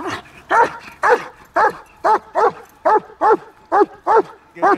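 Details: German Shepherd barking on command: nine loud, sharp barks in a steady run, about two per second, with a clean quiet background.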